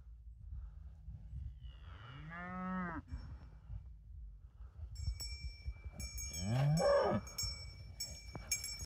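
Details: Cows and calves in the mountains around Lupșa, Alba county, Romania, late November 2023; two harmonic moos, the first rising then falling, the second lower and longer, with clear cowbell tinkling and low wind rumble.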